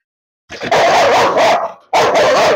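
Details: Aggressive Rottweiler in its kennel, during a challenge to take it out, bursts into long, loud, rasping barks, one drawn-out volley followed by another after a short break.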